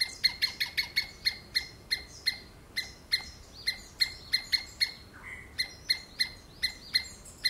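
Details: Rapid series of sharp squirrel screams, fastest at the start, then settling to about two per second, with a brief softer whistle midway.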